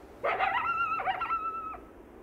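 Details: A lone wild coyote singing its mournful song: a burst of rough, chattering yips runs into a long, even, high howl held for over a second, broken by a second yip burst, then cut off abruptly.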